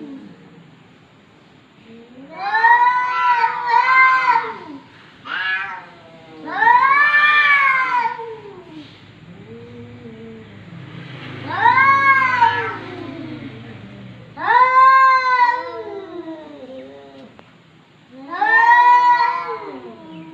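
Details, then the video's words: Talkative domestic cat indoors giving a series of about six long, wavering, moaning meows, some rising then falling, spaced a few seconds apart, with a low rumble between calls. "KUCING BERCAKAP"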